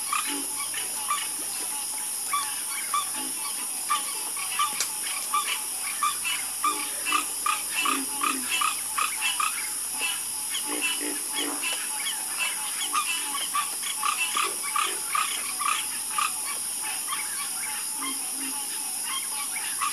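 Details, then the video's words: Chorus of many frogs croaking together, short overlapping creaks and knocks in an uneven stream, some lower croaks underneath, all over a steady high-pitched hiss. "Calming Sound Of Harmonious Frog Croaking"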